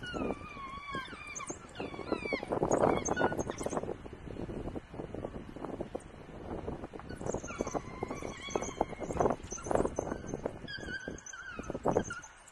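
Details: Wild African wild dogs in the Chitembe area, October 2021, giving many overlapping high, twittering bird-like chirps, over rumbling and rustling noise.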